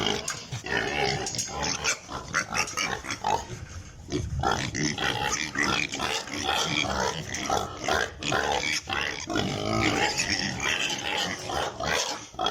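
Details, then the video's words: Piglets on a pig farm in Italy, a crowd of them squealing and grunting at once, dense overlapping noisy calls filling the whole stretch without pause. "Sound of piglets in pig farm"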